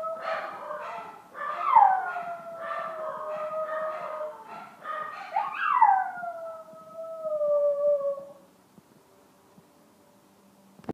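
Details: Chihuahua howling, unhappy while a packmate was away at the vet: two long wails starting high and sliding down into steady tones, with short broken yelping notes between, then quiet room noise.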